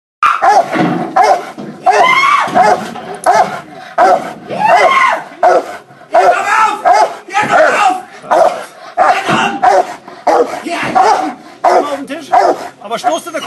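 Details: A female Rottweiler in protection work inside a container barks in loud, rapid bursts, with a man shouting commands in between.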